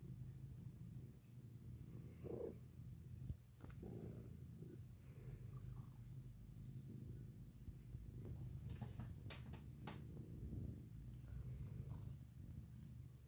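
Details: Domestic cat purring while lying in the sun, a continuous low rumbling drone with steady banding, mixed with occasional rustles, clicks and faint background noises.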